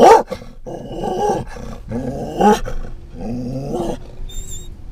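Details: Riding in a van, a Scottish Terrier barks at cats and a dog, giving harsh, growling barks in rough bursts about a second long.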